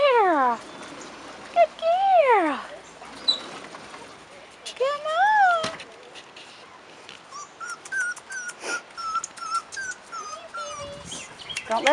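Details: Rottweiler puppies, 4.5 weeks old, outside for the first time, give loud whining whimpers that arch up and slide down, two bursts in the first six seconds, then softer short chirps from birds, with a woman calling the puppies nearby.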